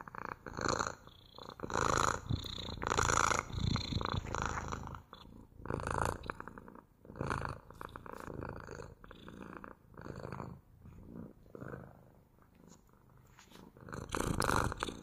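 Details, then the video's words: Purring domestic cat, rhythmic rumbling swells with each inhale and exhale, louder at first then softer in the middle before strengthening again at the end. "МУРЧАНИЕ | ПОЛЧАСА МУРЛЫКАЕТ КОШКА!"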